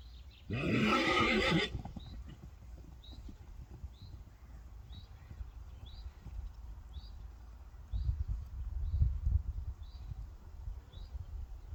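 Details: Friesian horse in a herd of Friesians reacting as a new horse joins and new neighbours appear; one loud, rough whinny lasting about a second, followed by low rumbling and hoof noise, with faint short bird chirps repeating in the background.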